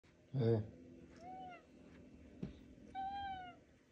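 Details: Domestic male cat indoors, chatting to its owner about his day: two drawn-out, harmonic meows, the first gently falling and the second level and bright, after a short low human word, with a faint thump between.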